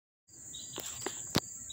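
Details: Crickets chirping up close in Dobbs Ferry, New York, on August 1, 2014: a steady high continuous trill with fainter pulsed chirps beneath, broken by a few sharp clicks and handling knocks.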